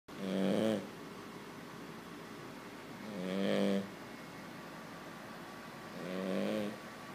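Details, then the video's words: Sleeping Cavalier King Charles Spaniel puppy snoring a little more quietly than usual: three raspy, buzzy snores with a low droning tone, each about a second long and coming roughly every three seconds, with soft room hiss between them. "King Charles cav puppy "Chico" snoring!"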